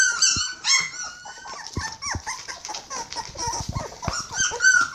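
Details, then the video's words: Border Collie puppies aged 21 days, hungry, give high whistled whines and short squeals that rise and fall, overlapping in a busy chorus with soft thumps indoors. "Border collie puppy's are hungry"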